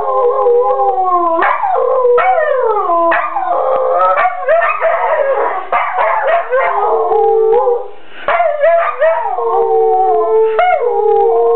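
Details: Play-fighting dogs indoors in a living room, letting out long tonal howls that glide down in pitch and swoop back up, several voices layered, with gruff growls and short yips mixed between.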